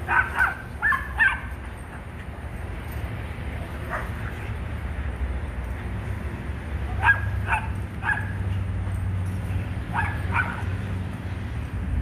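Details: Rat Terriers Bandit and Jewel at play in the back yard, giving clusters of sharp yipping barks, two or three at a time, separated by quiet stretches, over low background rumble.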